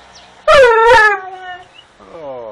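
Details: Dogo Argentino talking back to its owner: two loud, drawn-out howling moans in quick succession, then a softer falling whine, amid friendly human speech.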